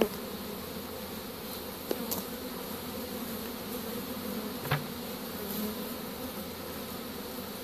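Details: Honey bee swarm being captured with a pole bucket from a tree on 25 March 2015, a dense steady buzzing hum with harmonic bands, broken by a few sharp knocks and clicks.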